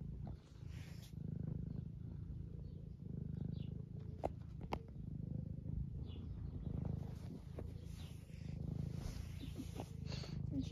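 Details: Deep continuous purr from Eric, a semi long-haired domestic tabby aged 11 living in the UK, enjoying being stroked and asking for attention; gentle rhythmic swells with a few faint clicks and handling noises.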